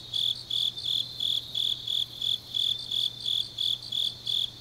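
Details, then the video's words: Late-night autumn insect song from the grasses of Changnyeong, South Korea: about thirteen sharp, high chirps in quick, regular succession, each a short ringing pulse, with a faint low hum behind. "깊은밤 가을 풀벌레 소리"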